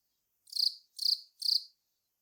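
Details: Velarifictous aspersus, the long-snouted cricket, giving three rasping chirps in steady succession, each about a quarter second long, in quiet surroundings.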